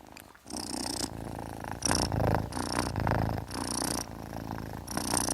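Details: Domestic cat purring up close, a continuous low rumble broken into rhythmic breathy surges about once a second, with a hissing airy texture on each pulse.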